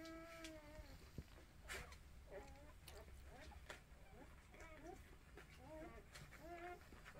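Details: Orphaned mixed-breed puppies being bottle-fed by two new human 'mothers' give a run of short, squeaky, wavering whimpers, rising and falling in quick bursts. The sound is quiet, over low rumbling background noise and scattered clicks.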